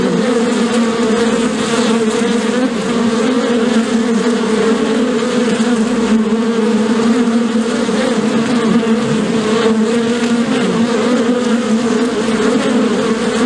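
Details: Many bees humming together, as at a hive: a dense, continuous, loud drone with a low steady pitch and a slightly fluctuating texture, holding throughout without pauses.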